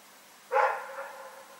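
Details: A single bark from Rex the dog at night, 27 February 2018: one rough, full woof that fades into a lingering, trailing tone over quiet surroundings.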